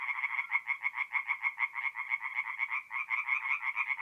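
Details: Tree frogs singing at night at a forest pond in north-east Italy in mid-April, many voices overlapping in fast, pulsing croaks, steady rapid throbbing rhythm with no other sounds.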